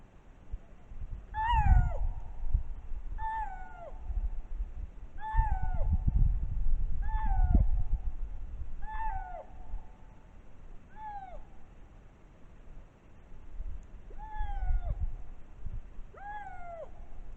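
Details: A lynx, caught on a trail camera in spring in Matsalu National Park, Estonia, gives a string of harsh, mewing calls, each sliding downward, about every two seconds.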